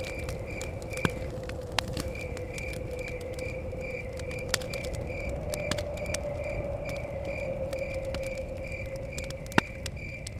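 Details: Crickets chirping in a forest setting by a cabin, a steady train of short, evenly spaced high pulses with a brief gap near the start, over sharp crackles of a fire, a low steady hum and rumbling blowing wind.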